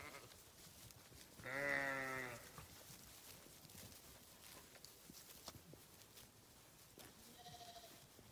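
A sheep gives one loud, wavering, low-pitched bleat lasting about a second, then a fainter call follows near the end over soft outdoor background noise.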